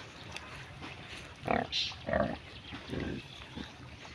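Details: Pig grazing in village mud; three short, rough grunts about half a second apart in the middle of the recording, over a low steady background hiss.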